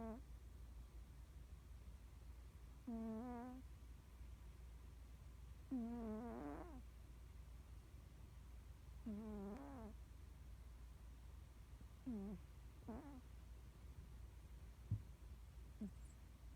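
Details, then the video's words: Sleeping Norwegian Forest Cat snoring deeply, face muscles twitching as if dreaming; tonal, harmonic snores with a wavering pitch come roughly every three seconds and grow louder, over a low steady indoor hum. "いびきをかく猫2 ノルウェージャンフォレストキャット"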